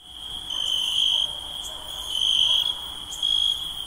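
Night insects trill steadily in a high, continuous buzz that swells and fades in pulses.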